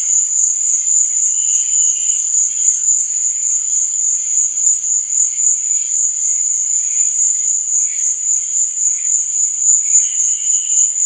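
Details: Crickets chirping at night as one steady, piercing high trill, constant in loudness, with faint lower chirps appearing now and then, especially around one and ten seconds.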